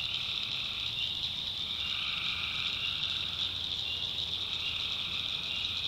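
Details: Many tree frogs calling together at night in a North Carolina swamp; a continuous piercing high trill dominates, and a single lower droning bout rises in around the midpoint before fading.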